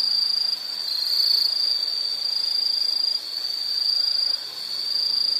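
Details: Insect calling in a nature recording: a steady, high, shrill trill sustained throughout, swelling and dipping slightly in loudness, with a brief drop near three seconds; no other sounds stand out.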